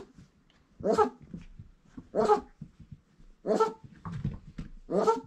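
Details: Four-week-old Irish Setter puppies indoors give four loud, tonal barking yelps, spaced about 1.3 seconds apart, with soft shuffling and faint lower whines between them.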